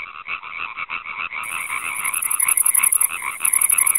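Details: European tree frogs (Hyla arborea) call in a fast, rattling series of harsh, nasal croaks.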